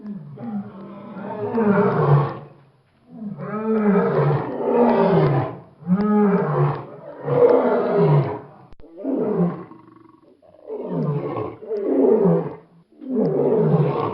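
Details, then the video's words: A lion roars in a long series of about eight bursts. Each is a deep, hoarse moan that falls in pitch. The bursts are spaced roughly every one to two seconds and grow shorter toward the end. "Leão | Som Do Leão | Leão Rugindo | Rugido Do Leão | Liaon | Roar Lion"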